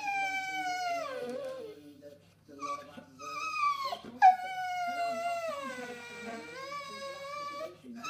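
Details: Whining from a female English Bull Terrier after food or attention: repeated long, sliding whines, each starting high and falling, with brief gaps between them and a soft clatter near the middle.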